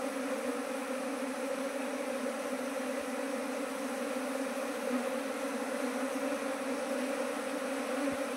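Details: Kept colonies of Asian honey bees, part of 19 colonies gathered in two months from a single starting hive. An unbroken, even buzzing drone fills the whole stretch with a couple of faint ticks.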